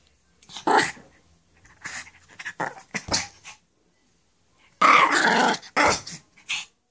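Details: Shih Tzu growling while playing with its ball indoors, a series of rough, noisy growls and grunts in short bursts, louder and longer near the end.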